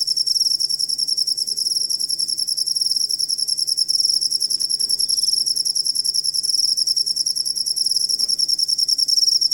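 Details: Cricket recorded as training material for songbirds, chirping without a break: bright, high-pitched pulses repeating at an even, fast beat, about three and a half per second, throughout.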